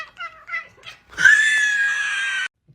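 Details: Cooter, a pet cat known as a talking kitty, gives a long, loud, drawn-out meow indoors, held steady for over a second, after a few brief soft murmured sounds.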